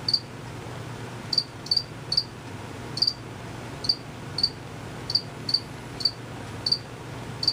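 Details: Unseen crickets chirp in bright high pulses at uneven intervals, a pair of quick chirps now and then, over a steady faint low drone.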